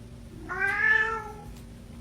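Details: Chatty orange male house cat, adopted after neglect and illness, gives a single short meow that rises and then falls, about three quarters of a second long, in a quiet room.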